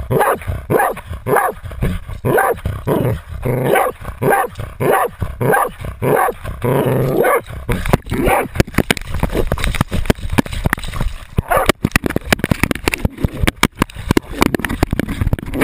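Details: Otto, a Jagdterrier, baying at a 250 lb boar, recorded on the dog's GoPro: steady repeated barks for the first seven seconds, then scraping, crashing movement noise and rustling take over.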